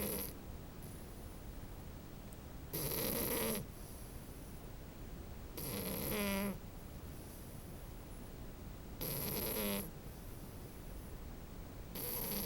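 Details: French Bulldog puppy asleep and snoring, four loud breathy snores about three seconds apart, each lasting near a second with a buzzy, whistling wheeze.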